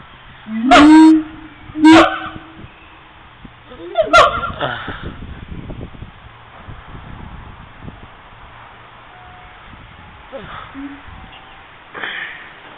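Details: Siamangs recorded on a mobile phone: three loud, honking barks with rich harmonics in the first four seconds, each about half a second long, followed by quieter scattered calls and faint background murmur.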